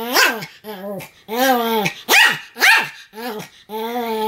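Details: Pomeranian Sam barking nonstop: loud, shrill barks alternating with longer whining, howl-like yaps, about two per second in a short tight sequence.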